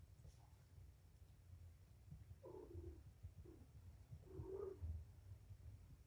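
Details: Kittens from a litter of five, four males and one female, being cleaned and treated with antibiotic eye ointment in the afternoon. Two faint, short, harmonic mews a couple of seconds apart, over a low steady rumble.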